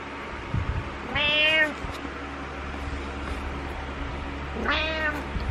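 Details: Butters the pet cat calling out his morning meows: two clear, arching harmonic meows about three and a half seconds apart, the second sharper, against quiet indoor hum and faint rustling.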